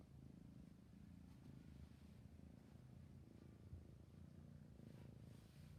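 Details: Sleepy kitten keeps up a soft, low purr, its rumble swelling and easing in steady breathing rhythm with slight rustling in the background.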